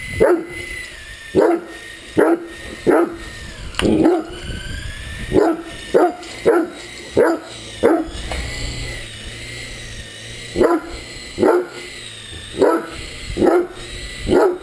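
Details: Great Dane playing with an RC helicopter, barking in a long run of sharp, deep barks roughly every second, with a brief pause midway, over the steady whine of the toy helicopter's motor.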